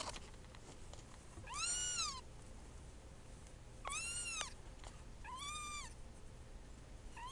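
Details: Two-week-old kittens mewing indoors: three clear, high, arched squeaky mews about two seconds apart, each rising then falling, over a quiet low room hum.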